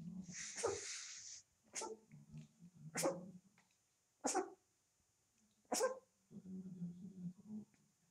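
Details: Young puppies, 25 days old, playing in a living room at night: several sharp high yips spaced about a second apart over low grumbling growls and snuffling, with a longer whiny cry at the start.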